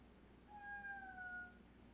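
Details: Domestic cat lounging and talkative on a very warm sunny day, giving one drawn-out meow lasting about a second, steady then gently falling at the end; quiet room background with a man's voice speaking softly around it.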